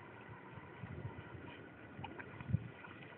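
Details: Low wind rumble and faint background noise in a farmer's field, with a single soft thump near the end and no animal voice.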